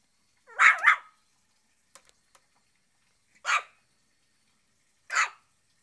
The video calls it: shih tzu barking